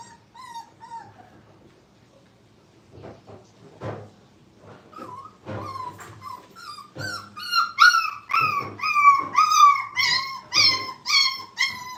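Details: Five-week-old Brittany puppies playing at a training kennel: faint scattered whines at first, then a rising run of high, bent yelps and whimpers repeating about twice a second, growing louder and more insistent toward the end.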